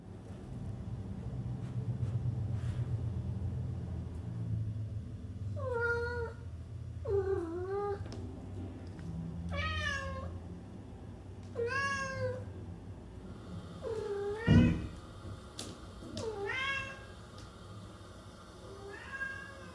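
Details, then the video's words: Domestic cat meowing indoors: after a low rumbling start, about eight clear, bent meows follow at uneven intervals, each rising then falling in pitch, with faint background hum throughout. "Cats on Film: Capturing the Expressive Voices of Feline Actors"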